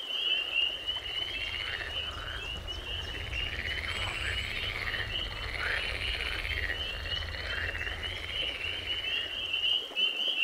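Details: In spring, a dense chorus of spring peepers keeps up high, sharp peeps, mixed with lower, rougher croaking calls and a constant deep rumble in the background.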